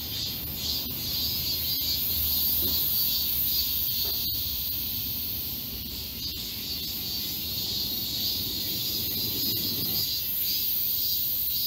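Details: Summer cicada chorus in Galsan Park forest, Seoul. A high, hissing drone with uneven pulsing sits over louder low-pitched background noise and scattered clicks.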